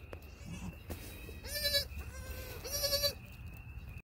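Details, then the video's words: Newborn triplet goat kids about six hours old, born on 1/6/2021, taking first steps and giving baby bleats: two short, high, nasal bleats with a steady background tone and faint low rumble. "6 Hour Old Baby Goats"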